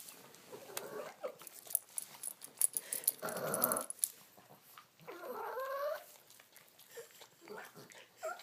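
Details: Otis the Boston Terrier eating and letting out strange alien sounds: a rough growly grumble around three seconds, then wavering whiny moans with rising and falling pitch, mixed with chewing clicks and a little human speech.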